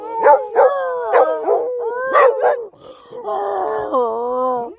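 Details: Jindo dogs and mixed-breed dogs howling along with their owner: short wavering yelping howls rising and falling, then a long steady sustained howl with layered tones.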